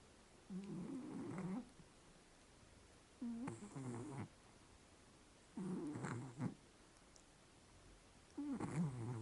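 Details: Snoring from Vayt, a Scottish Fold house cat dozing: four rough, purring snore breaths about a second long, each starting with a low rumble and ending in a breathy rasp, spaced roughly two to three seconds apart.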